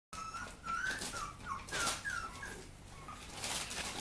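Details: Papillon puppy whimpering indoors: thin, high, whistle-like whines that slide downward, given in short bursts of four or five cries over a few seconds, with faint rustling between them.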